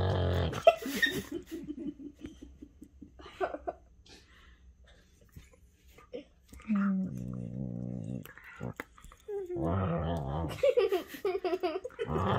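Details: Henry and Vinny, two whippets, playing a chewing game with each other in a small room; low rumbling growl pulses, then a steady moaning growl lasting over a second, followed by louder mixed growls and scuffling.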